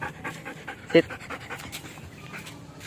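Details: Belgian Malinois dog panting during training, quick soft breathy pulses with one short louder click-like sound early on.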